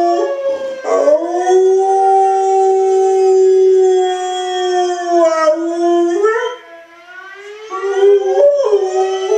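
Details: Pet dog howling in response to a fire alarm: long wavering howls with sliding pitch that rise sharply near one second, six seconds and eight and a half seconds, over a steady electronic alarm tone.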